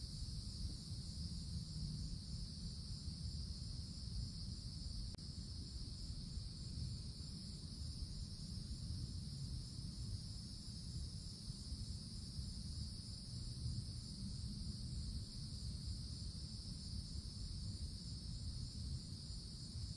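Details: In a summer forest, cicadas fill the canopy with a sustained shrill drone that never breaks, set against a strong low rumble, with a single faint click early on.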